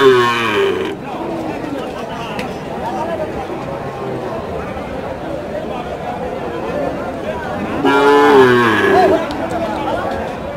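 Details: Bull calves of an improved breed at the Choubaria cattle market in Manda, Naogaon, on 28 September 2018. Two short lowing moos, one at the start and one near the end, separated by steady crowd chatter and market bustle.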